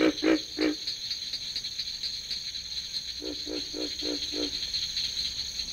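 Pig frogs give deep, pig-like grunts in short bursts as part of a breeding chorus.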